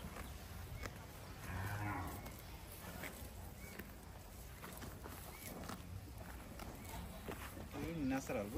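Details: Brahman calf on a natural cattle farm in Bangladesh, where the cows roam and graze; short low moos rise through the background, one ending in a wavering tone, while a man speaks over them.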